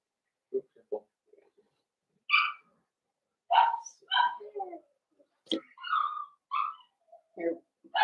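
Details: Blenheim Cavalier King Charles Spaniel puppies, a litter of five born at New Year's, in an indoor home puppy pen. Short scattered yelps and drawn-out whining squeals come in irregular bursts with quiet gaps, and a human voice is possibly mixed in.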